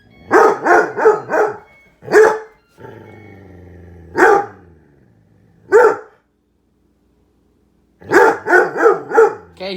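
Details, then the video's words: Dog barking at a microwave where soup is popping: a run of quick barks, then a low steady hum, followed by isolated barks and a final burst of rapid yaps. "Dog barking at microwave"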